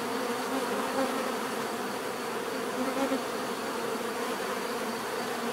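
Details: A crowd of bees hums steadily, the droning buzz thick and unbroken, with faint rising and falling tones from single insects drifting past.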